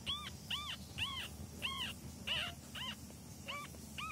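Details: Kitten during training sessions giving short, arched, high-pitched mews, rising then falling, repeated about twice a second, eight calls in a row over a low background hum.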